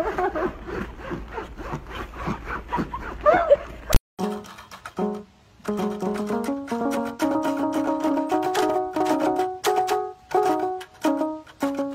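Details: Muffled speech for four seconds, then bright plucked-string music with a steady picked melody, and no animal sound.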